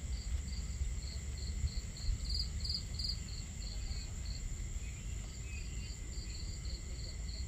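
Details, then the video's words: At a starry-night campsite, crickets repeat bright pulsed chirps a few times per second, strongest in a brief louder burst near the two-to-three-second mark, set against constant low water rush and fire crackle. "Crackling Fire, Crickets, Water Sounds"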